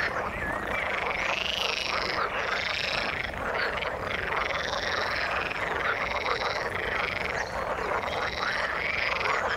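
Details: Chorus of frogs in the water: many overlapping croaks arching up and down in rapid succession, roughly one wave per second, forming a continuous rasping wall of sound.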